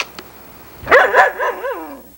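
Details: Sunny, a female Irish Setter and daughter of Ed, filmed in 1987 on VHS, 'talking' to her owner: a short run of wavering, yodel-like harmonic moans rising and falling about four times over a second, then fading, with quiet room hiss.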